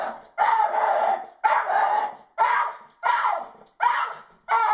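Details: Jack Russell terrier going wild at a teasing squirrel, giving six loud, harsh barks or bark bursts roughly once a second, each strong and slightly drawn out, with brief pauses between them.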